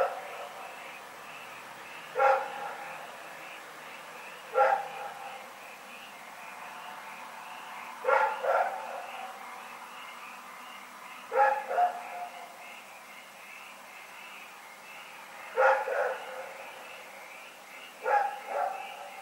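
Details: Rex, a dog, barking through the night in Pyrga on 27 February 2018; single and doubled barks repeat roughly every three seconds over a steady background hum.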